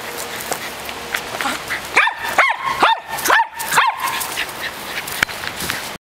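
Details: Dog at play with a ball lets out a quick run of five clear, ringing barks about half a second apart, between stretches of soft rustling.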